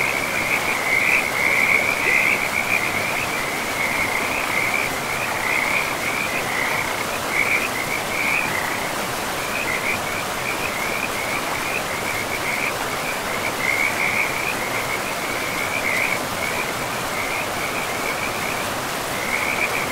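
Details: Beside a river in a pristine forest, frogs keep up rapid, uneven high-pitched croaking, roughly two calls a second, loudest early on, over a steady broad rush of flowing water.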